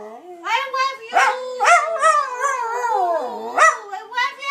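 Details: Pet Dachshund Dusty howls to his owner in a loving "I love u" exchange, with a nearly unbroken run of warbling, sliding howls that dip low before rising again. A person's voice may mix in.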